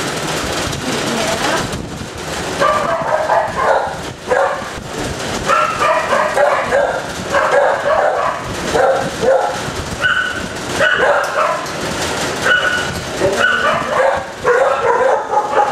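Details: Kennel dogs barking nonstop, a chorus of overlapping yaps and barks that rise and fall over many seconds, with a person's voice faintly underneath and a hard, echoing room sound.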